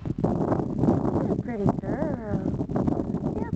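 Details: Sadie, a dog alone and looking for her sister, gives rising and falling whining cries with a tonal, wavering pitch, set against rustling, wind noise and a woman's voice calling to her.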